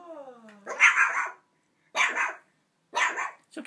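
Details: Small puppy barking excitedly at a huge gift bone longer than itself: three sharp, harsh barks about one second apart, preceded by a brief whining tone, recorded indoors with quiet surroundings.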